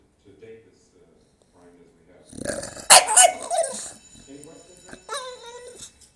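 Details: English Bulldog, a male, crying to get attention: soft low whimpers at first, then a loud rough outburst of whining, followed by a few short rising-then-falling whines near the end.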